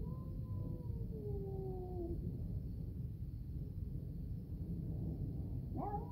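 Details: Orange Caramel and Grey Fox, house cats, calling as their food is prepared: one long meow slowly falling in pitch for two seconds, a quiet pause, then a short upward-rising meow, all over a low indoor hum.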